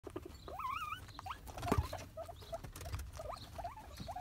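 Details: Guinea pigs complaining with faint, wavering squeaks that rise and fall, some repeated in quick pairs, among rustling and pattering noises.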